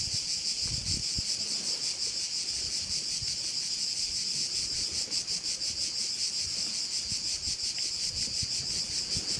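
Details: Insect chorus of crickets at a bay on the Croatian island of Korčula, heard as a continuous shrill, high buzz with a faint rapid throb and occasional low wind rumble.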